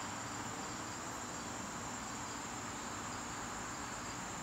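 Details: Garden crickets on a September evening, a steady unbroken high-pitched trill running through the whole stretch over a soft, even background hiss.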